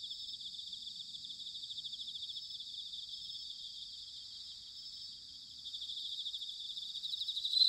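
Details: Several bell crickets chirring together on an autumn night in Sanuki, Chiba, Japan: a continuous high, shimmering pulsed chorus, steady throughout, brightening slightly toward the end.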